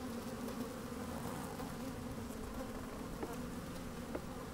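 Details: Honey bees moving about an open hive on a sunny, slightly windy day, microphone placed inside: a constant low, layered hum with a couple of short sharp clicks or taps toward the end.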